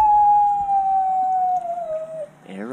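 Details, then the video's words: Miniature Australian Shepherd howling in response to nearby sirens: one long steady tone that slides slowly downward and fades, followed by a brief wavering rise at the end. "mini aussie shepherd howling at sirens"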